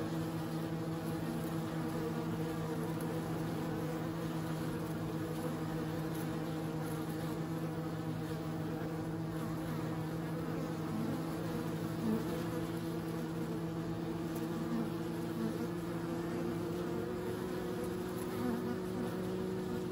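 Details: Bees buzzing in a steady, continuous drone, with low sustained hum bands that hold without a break for the full length and no other distinct sounds.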